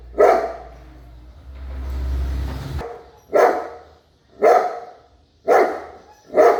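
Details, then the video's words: A big dog barks once, a low rumbling noise fills the next two seconds, then four more deep barks follow about a second apart. "sound of big dog"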